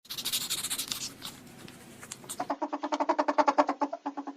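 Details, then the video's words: Ferret indoors: after a couple of seconds of rustling and scratching, a quick run of soft, harmonic clucking pulses, about five each second, growing louder then fading. "FUNNY FERRET SOUNDS"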